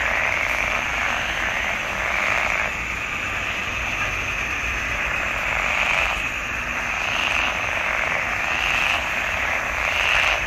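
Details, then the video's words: Chorus of frogs in a marsh pond, June 2021, a thick layered din of overlapping croaks that swells and eases in waves, with rhythmic pulsing bursts standing out every second or so. "Il canto delle rane in palude."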